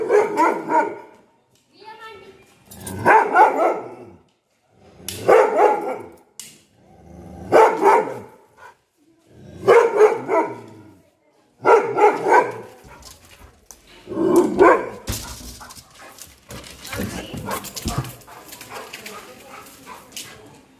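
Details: Angry dog barking: seven loud, harsh, ringing barks spaced about two seconds apart, each a short broad burst, then the barking stops and rustling, scraping noise fills the last few seconds.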